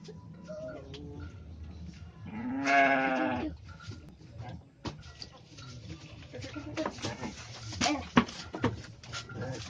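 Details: Goat kid, one of newborn twins just born on a farm, gives a single wavering bleat near the start amid people talking and background farm noise.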